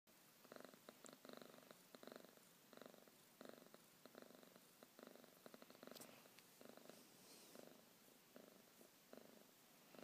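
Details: Domestic cat purring beside its owner in the morning, waking them up; a steady rumbling purr in rhythmic pulses, with each inhale and exhale making a band of sound about once a second, close and indoors.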